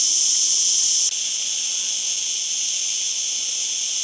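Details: Cicada song as an unbroken high, hissing drone. After about one second the buzz shifts slightly in tone, then carries on evenly to the end.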